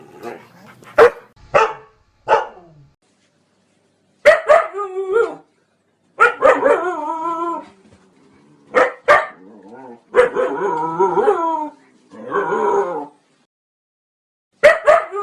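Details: Barking and whining Siberian Husky: clusters of quick barks alternating with longer, wavering, yodel-like whines that bend up and down in pitch, separated by brief pauses.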